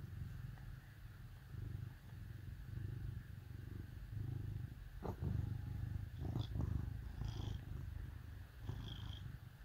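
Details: Deep, steady purring from cats snuggling against dogs on a cold winter day, interrupted by a few sharp clicks and brief high-pitched squeaks toward the end.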